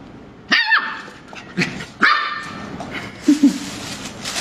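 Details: ['Lively puppy yapping: two high, ringing barks a second and a half apart, with softer yips and short low grunts between them.']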